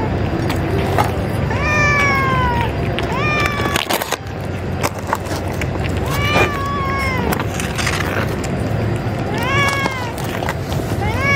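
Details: Female cats in a colony made up only of females, squabbling and threatening each other while being fed; several drawn-out wavering yowls, rising then falling, over steady broadband background noise.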